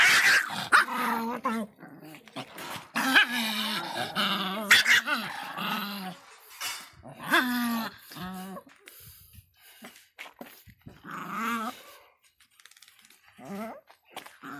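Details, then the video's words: Fierce Miniature Pinscher dog voicing a run of tonal whining growls, wavering and harmonic-rich, in bursts of one to two seconds separated by short pauses, fading to softer, scattered whimpers toward the end. "latidos de pinscher miniatura bravinho"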